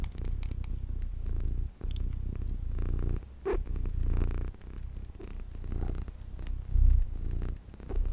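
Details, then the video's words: Close, loud purring from the small cat Luna, a deep continuous rumble rising and falling with her breathing, with a few faint rustles and taps. "my purring MINI Cat Luna"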